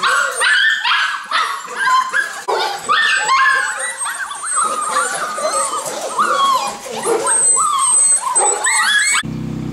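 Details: Golden Retriever puppies, several of them together at a kennel, playing: a dense chorus of high whining yips and whimpers, overlapping and sliding in pitch, continuous throughout, ending with a short burst of music.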